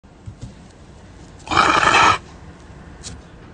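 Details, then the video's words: Panther grumbling at bad weather: one harsh, raspy, noisy grumble lasting under a second, loud against a quiet background, followed by a woman speaking Russian. "Panther grumbles at bad weather"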